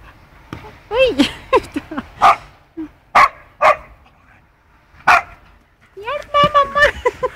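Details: Rough play between Punky, a two-year-old poodle, and a four-month-old wolfdog puppy: high whiny yelps and sharp barks in quick bursts, ending in a drawn-out wavering whine, with brief gaps of quiet between.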